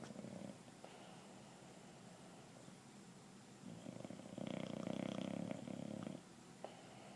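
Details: A 2-year-old English Bulldog snoring on the couch gives rough, rumbling rasps that swell into one loud, gravelly breath.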